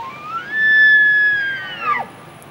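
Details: In autumn beside a Rocky Mountains highway, a dominant bull elk guarding his harem bugles its rut call, a high pure whistle that climbs, holds, then falls sharply; far shriller than red deer roars, it attracts females.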